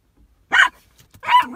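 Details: Toy Poodle hugging and guarding its favourite ball, angry as a rival smartphone comes near: two short, sharp yapping barks about three quarters of a second apart, otherwise quiet.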